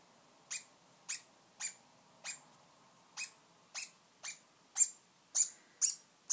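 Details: A male degu named Cat barks after his first successful mounting of his brother, a dominance display, on a Sunday morning indoors; eleven short, sharp, high-pitched bursts come roughly every half second.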